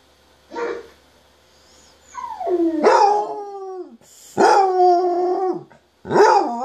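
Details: Pet basset hound howling while it listens to recordings of other basset hounds howling; a short yelp, then long wavering howls that slide downward, separated by brief pauses.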